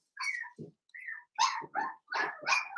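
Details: Indoors in the pen, a litter of five blenheim Cavalier King Charles Spaniel puppies, born at New Year: a quick run of high squeaky yelps and whimpers, rising and falling, several overlapping with short gaps between them.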